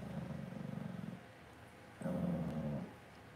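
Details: Cavalier King Charles Spaniel puppies kept in an indoor home pen produce two bursts of rapid, pulsing low growls, each about a second long and separated by a brief quiet gap, playful-sounding rumbles close to the microphone.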